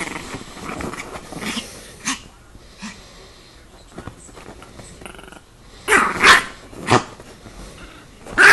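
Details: Chihuahua on the attack: low rough growling early on, then a burst of sharp, loud barks and snarls near the end with a few scattered knocks between.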